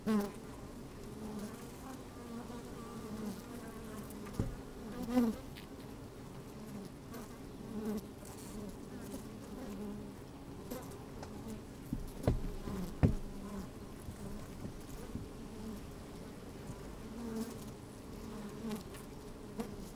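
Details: Busy honey bees heard from a microphone inside an open hive on a sunny, slightly windy day: a constant low humming drone broken by several short, louder buzzes and a few sharp clicks.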